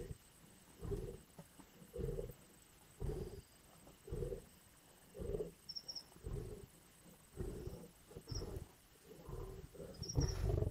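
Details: Lions growling and snarling while feeding at a carcass in the Indian bush; deep, rasping bursts repeat roughly once a second in a steady rhythm, with faint high chirps from birds or insects in the background.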